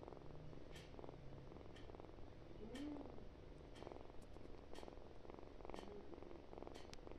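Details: Loud, continuous purring from a kitten, a deep, even rumble with a gentle pulsing texture and light tapping or clicking sounds about once a second.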